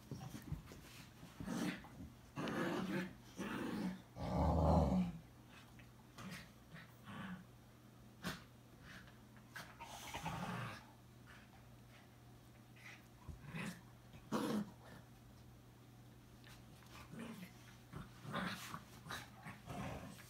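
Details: Pet Boxer and Chorkie dogs roughhousing at home; short low growls and grumbles come in uneven bursts, the loudest near the middle, mixed with scuffling, panting-like breaths and occasional knocks in a small room.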